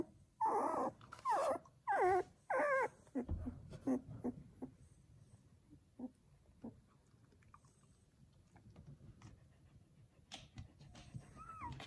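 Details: Newborn Samoyed puppies from Joy's first litter of seven, indoors; four loud, harsh squealing cries in quick succession, then faint scattered squeaks and small thumps.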